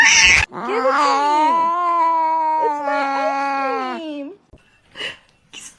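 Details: Domestic cat, a kitten, giving one long, wavering, low-pitched meow lasting about three seconds and rich in harmonics, after a short noise burst, followed by brief faint rustles.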